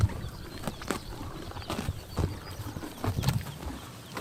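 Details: Horses grazing on a summer morning in Tuv province, Mongolia, tearing and chomping grass: sharp crunchy bites at irregular intervals over a deep low rumble, with a quiet outdoor background.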